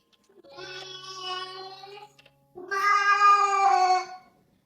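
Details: Two clear, long, harmonic meows from Reddington, a male golden tabby rescue cat about 12 years old who demands attention, the second louder and longer than the first. A quiet room, with a faint low hum under the first meow.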